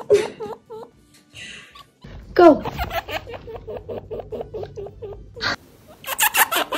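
A chinchilla repeats short, squeaky, slightly bent calls several times a second, steady and insistent. Near the end come a few louder, raspy bursts, and brief cuts break up the sequence.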